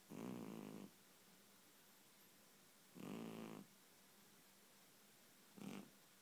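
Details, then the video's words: Sleeping cat, dreaming and twitching, snores loudly: three buzzy, rumbling breaths roughly two and a half seconds apart, the last one brief, against a quiet background. "Cat dreaming twitching and snoring"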